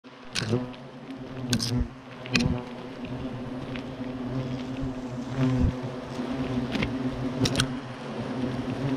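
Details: European hornets buzzing around their destroyed nest at Clavier, agitated after its destruction; a steady low drone with harmonic bands, overlapping loud passes of individual insects, and occasional sharp clicks and knocks.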